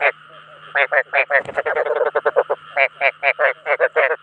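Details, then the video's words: Field frog calling to attract others of its kind: rapid raspy croaks repeated in quick bursts of about four per second, some runs blurring into a continuous rattle, with a faint steady low hum behind. "Tiếng Ếch Đồng Chuẩn 2024 ( Tiếng Kêu Thu Hút Đồng Loại )"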